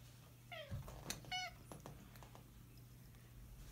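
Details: Big stubborn orange tabby cat indoors, refusing to get out of bed when someone wants to make it; two short harmonic meows near the start, then soft rustling and faint clicks in a quiet room.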